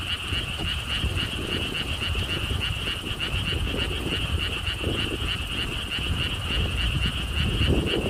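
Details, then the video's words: Steady rhythmic pulsing of frogs calling from lotus ponds at a Siheung theme park in Korea, several notes a second, blended with blustery wind and deep background rumble. "돌담길, 바람, 개구리 소리를 품은 연꽃 테마파크.Stone wall path, wind sounds, and frog sounds with Lotus theme Park."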